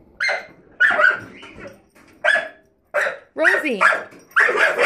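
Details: Puppy Rosie barks at a kitchen drawer below the oven: about six loud barks, some coming in quick pairs, with a human voice mixed in among them.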